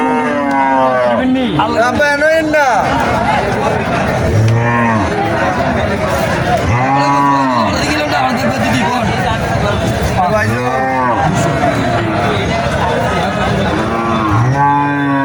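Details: Repeated deep moos from Sahiwal cattle at the Moynamoti cattle market in Cumilla, Bangladesh, several arched lowing calls every two to three seconds, some overlapping, amid a steady din of market voices and chatter.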